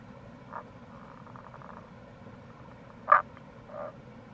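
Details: Rana tagoi in April at a gorge on the Kamo River in Itoshima, Fukuoka: a soft croak, then a louder short croak with a fainter echo-like follow-up, set against constant stream noise.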